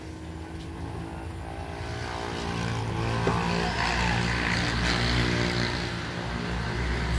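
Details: A steady engine or propeller drone swells and grows louder, with no animal calls heard.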